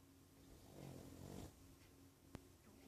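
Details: George, a sleeping dog, recorded 26 04 14, gives one soft, breathy snore lasting under a second, low and rumbling, in a quiet room, followed by a single sharp click.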